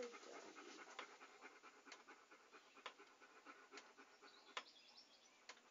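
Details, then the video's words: Close, breathy dog panting meant for relaxation: rapid airy exhalations in a loose rhythm of about one per second, with slight wet clicks. "A Panting Dog ASMR"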